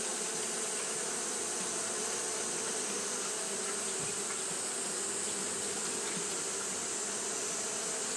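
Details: Continuous fanning hum of Japanese honey bees on a hot day, a flat, unbroken drone with airy high hiss and a brief low thump around four seconds in.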